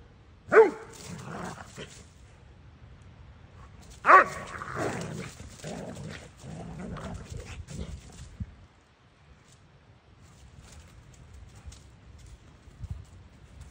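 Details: Play session of Kai the Doberman and Maddie the boxer/bulldog mix: two loud barks about three and a half seconds apart, each followed by rumbling growls, then near silence for the last five seconds.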